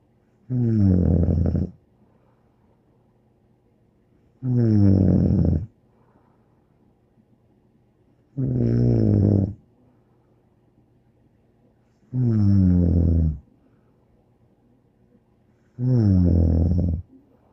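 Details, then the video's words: Dog named Bear snoring indoors, five long guttural snores about a second each, spaced roughly every four seconds in a steady rhythm, with near silence between them. "More angel Bear Snoring"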